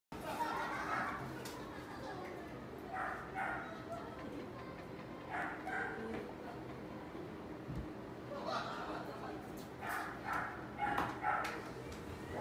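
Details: Apricot female Toy Poodle born 8 November 2017 gives short yappy barks in clusters, several bursts spread over the clip, with a low steady hum underneath throughout.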